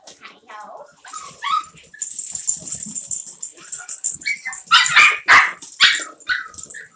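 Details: Havanese puppies romping in an office produce high, squeaky barks and whiny yelps, sparse at first then louder, tighter bursts toward the end, with a steady high hiss and some human speech underneath.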